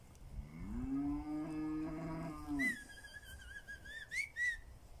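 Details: Pinzgauer cattle in South Africa on a rainy morning, heading to summer pasture: one long, steady, deep moo lasting over two seconds, then several wavering high whistles.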